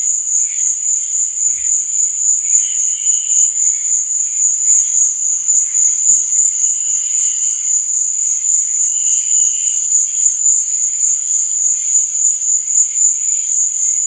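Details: Nighttime cricket chirping as a dense, unbroken high whine, overlaid by occasional brief lower trills that come and go roughly every three seconds.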